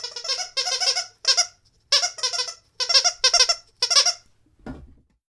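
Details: Rottweiler teasing its owner indoors, making rough, raspy, bleat-like grumbles in eight short bursts roughly every half second, followed by a soft low thump at the end.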